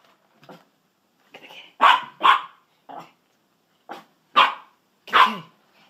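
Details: Sausage and Weenie, two pet dachshunds set on a kitty and making a scene, deliver an uneven run of shrill yapping barks, some doubled, mixed with softer yips over six seconds.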